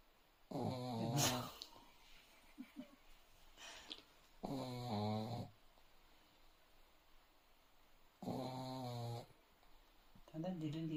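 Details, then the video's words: A sleeping dog snoring indoors: long harmonic rasping breaths, each about a second long, recurring roughly every three to four seconds, with quiet gaps between and faint small noises. "Dog Snoring"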